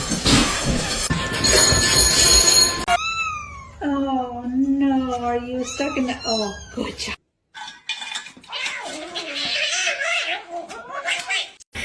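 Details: Domestic cat yowling in long, wavering, drawn-out cries that bend up and down in pitch for several seconds, after a burst of loud noise; human speech and indoor sounds follow.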